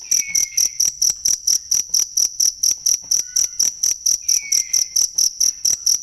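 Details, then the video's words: A cricket's sharp, high chirps, used as tutor sound for cage birds, repeat evenly at roughly two per second. Soft, downward-sliding bird whistles appear twice behind them. "ASLI SUARA JANGKRIK BUAT MASTERAN BURUNG"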